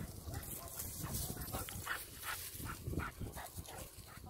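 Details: Tau, a high-energy Staffordshire Terrier puppy, playing and exploring with Kaya at the western pedestrian entrance to Melville Koppies East; quiet, rapid, irregular short huffs and barks outdoors, with people talking softly nearby.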